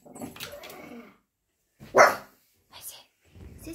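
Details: A pug on holiday barks at a squirrel in the garden, a single sharp, loud bark between stretches of a person talking.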